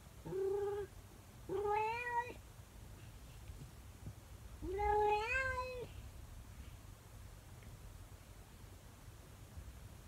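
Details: Calico cat called Monkey's morning song indoors, howling after her owner leaves the room: three drawn-out, rising-then-falling wailing meows with rich harmonics, spaced about two seconds apart, then quiet room hum.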